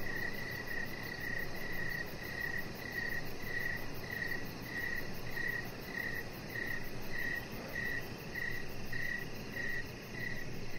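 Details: In the evening outside on a deck, a cricket chirps steadily, short high pulses repeating about twice a second over a low rumbling background.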